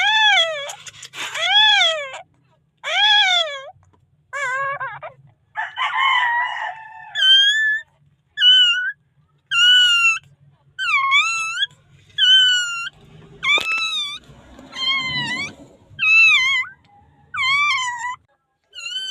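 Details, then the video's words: Newborn puppy in the Philippines calling for help, later saved: high, thin arched cries that rise and fall, repeated roughly every second with short pauses, some rougher strained yelps, a brief rustling noise midway. "Calling for help🥺 thanks puppy is ok"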